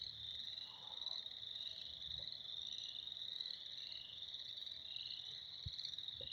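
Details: Many frogs calling together in spring, a dense, steady high-pitched chorus of overlapping trilling calls with no breaks, plus a few faint low thumps underneath.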